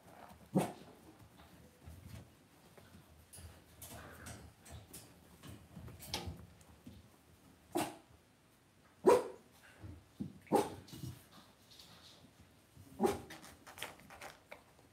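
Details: Cavalier King Charles Spaniel puppies in an indoor home puppy pen. Short, sharp yips and barks burst out irregularly, about four louder ones spread across the stretch, between quieter rustling and shuffling.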